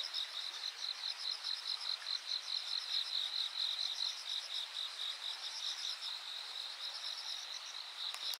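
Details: A steady chorus of insects trilling high and continuously, with pulsing chirps layered throughout, on the bank at Yanagawa on 13 August 2023.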